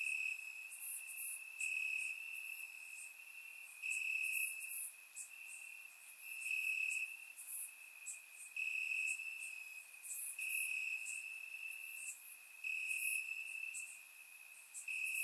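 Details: Crickets in grass on a warm Bulgarian summer night, surround recording: a sustained shrill trill rises and falls in loudness roughly every two seconds, with dense clusters of higher chirps repeating over it.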